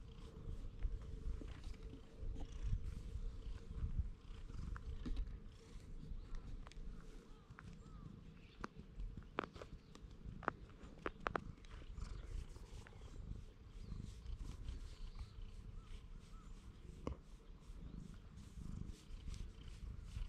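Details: Stray cat with unusual markings, after pleading in cat language and climbing onto a lap, purring as a steady low rumble throughout, with scattered clicks and handling noises and a faint tone in the background.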